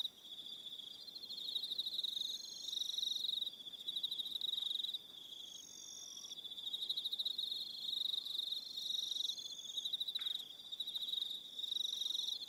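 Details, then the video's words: Crickets calling in the evening on Aroha Island, New Zealand: dense, high-pitched pulsed trills in overlapping bursts, several callers at slightly different pitches, with occasional faint lower whistled notes beneath. "1 Hour Relaxing Evening Sound of Crickets"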